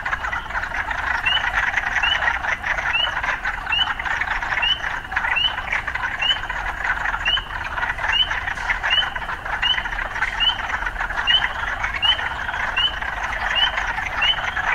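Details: Urban frogs keep up an even, buzzing croak chorus while one caller repeats a short rising chirp at a regular pace, roughly every three quarters of a second, about twenty times.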